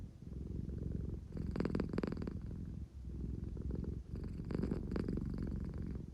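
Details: Engine-like purring from a drowsy, affection-seeking American Shorthair cat at home, a deep continuous rumble rising in two louder swells of about a second each.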